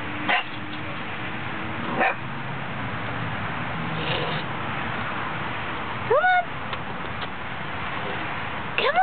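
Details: A female Goldendoodle puppy, scared to come down the stairs, gives high, frightened, yelping barks every couple of seconds while a person coaxes her.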